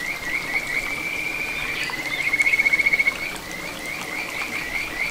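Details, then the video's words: Kajika frog song from a little satoyama brook in Ichihara, Chiba, Japan, June 2022: a smooth, high, sustained note breaking into a rapid rattling pulsed trill about one second long, then softer upslurred whistles over stream noise. "カジカガエルの鳴き声 里山を流れる小川に響くかはづの美声"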